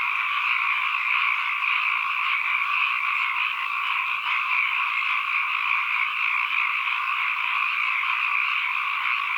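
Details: Frogs calling as an ambient nature recording: a dense, unbroken chorus of many overlapping croaking trills in two bright pitch bands, steady in loudness throughout, with no other sounds.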